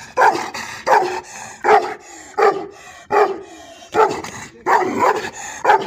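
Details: Gurbasar, an Azerbaijani shepherd dog, barking loudly and steadily, about eight deep, rough barks, each a short burst roughly every three-quarters of a second.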